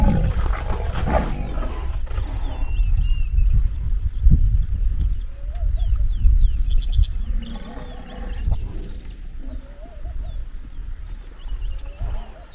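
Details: A white rhino cow rejecting the advances of the dominant bull: deep, low rumbling groans and snorts in bursts, with chirping birds and brief human voices in the background.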